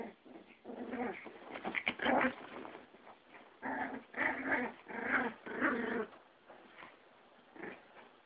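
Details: Yorkie and Pomeranian scuffling in a fight: a string of gravelly growls and snarling bursts, rising and falling in loudness over several seconds.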